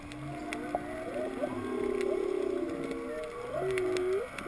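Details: Whales calling underwater off Kaanapali, heard during a breath-hold snorkel free dive to 19 feet over a coral-covered wrecked sailboat keel; low harmonic moans waver and sweep upward, lasting about a second each, over constant crackling reef clicks.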